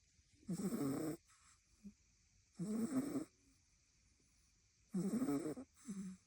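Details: A female French Bulldog puppy, asleep in a lap, snoring softly indoors. Three raspy, rattling snores come roughly every two seconds, each followed by a shorter, quieter snort, with near silence between breaths.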